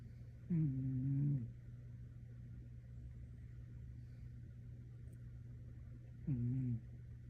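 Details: Teddy, a 15-year-old orange cat, snoring while asleep: two low, voiced snores with a brief upward start and a steady hum, the first about a second long, the second shorter, over a constant low electrical drone indoors.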